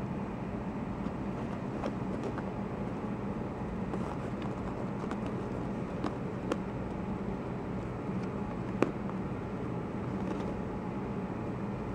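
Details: Indoor scene with three-week-old foster kittens play fighting and biting jeans on a lap; only a low steady hum with scattered faint clicks and rustles, and no mewing or other calls.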